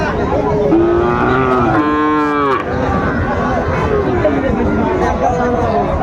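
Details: Sahiwal bull calf at the Raniganj cattle market in Dinajpur on 27 June 2024, giving a drawn-out moo that drops then steadies, roughly two seconds long, amid men bargaining and crowd noise.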